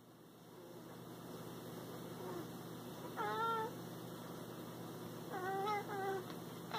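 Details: Cat calling to its prey: two short, bright chirping meows, the first brief and the second a quick double, standing out over a steady low hum and faint background noise.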